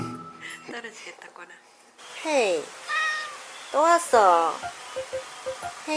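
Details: Talkative pet cat meowing at home while trying to chat with its owners: after a quiet start, a series of drawn-out, falling and bending meows, three or four in quick succession, with a woman speaking and light background music.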